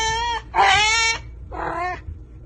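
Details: Cat from a funny cat and dog compilation giving three drawn-out, steady, tonal meows: a flat first call, a louder longer second, then a shorter, softer third, with a low background hum.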